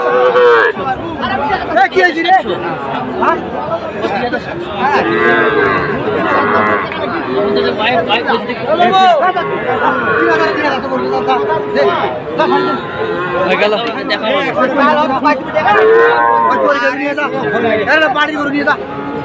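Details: Young Sahiwal bull calves for sale at Aftabganj cattle market, 18 October; repeated mooing, some calls bending up then down, heard through dense market crowd noise and voices.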